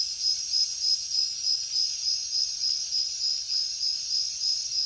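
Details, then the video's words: Crickets at night in a jungle setting, a piercing high trill throbbing in regular beats about three per second over a thin hiss of other insects. "Insects sounds | Cricket sounds |Jungle night"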